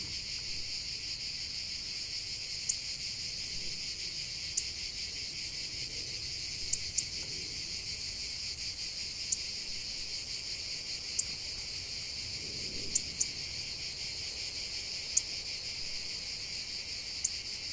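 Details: Steady high cicada drone running throughout, overlaid by sharp clicks or snaps every couple of seconds, with a soft low rustle in the middle.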